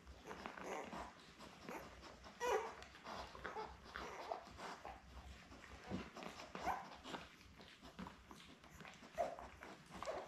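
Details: Newborn Labrador pups, seven in the litter born May 24, 2021, lying with mother Belle indoors, filmed on 4 June; faint scattered high squeaks and little whimpers over rustling and snuffling, with a louder squeal early on.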